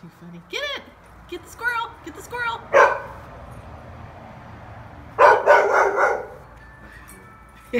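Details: Max, a pet dog, reacts to a toy squirrel held up behind the fence while people urge him to get it: one sharp rough bark, then a short burst of several harsh barks, with excited talking between.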